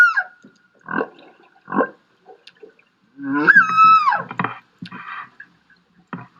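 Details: Humpback whale singing in Monterey Bay, California: drawn-out tonal cries and moans that rise, hold, then slide downward, with short grunting pulses between, and with parts of the song repeated.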